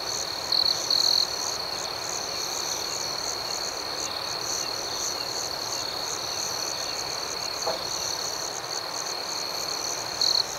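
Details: Nighttime cricket chorus: an unbroken shrill trill holding one high pitch, with a rhythmically throbbing overtone and two brief louder chirp bursts near the start and one at the end.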